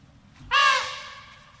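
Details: Asian elephant letting out one short, loud trumpet blast, harsh and rich in harmonics, that slides slightly downward and trails off over half a second against quiet background.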